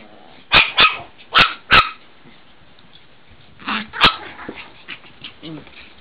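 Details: Female AKC Chihuahua puppy, nine weeks old, south of St Louis, Missouri: four sharp high yaps in quick succession in the first two seconds, then two more after a pause, with faint shuffling between.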